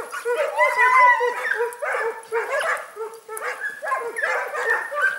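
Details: Segugio Italiano hounds, short-haired and wire-haired, hunting hare at Sofiko, Evros, Greece, on 18 October 2015: a pack gives dense, overlapping, ringing yelps and bays in rapid irregular bursts, several voices at once, with no pause.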